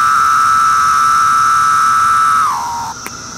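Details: Brood II Magicicada septendecim cicada recorded calling on bark in 2013; one sustained, even buzzing drone that bends down in pitch near its end and drops to a softer tail.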